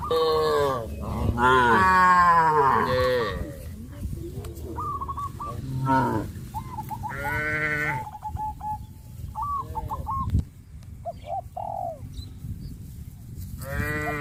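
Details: Cows (Bos taurus) being led to green grass fields give long, deep, wavering moos, with small chirping sounds heard between them.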